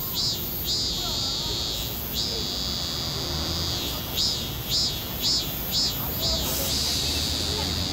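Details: A cicada sings close up on a tree in Seoul, South Korea, in July 2018, captured with a Samsung Galaxy S9+. A continuous shrill hiss carries bursts of swelling pulses, a few at the start and a run of five later, about two per second.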